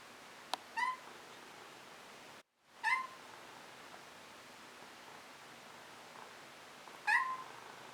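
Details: Young Maine Coon cat begging for treats held out by its owner, left unpetted so it would keep meowing; three short, clear, slightly rising meows several seconds apart in a quiet room.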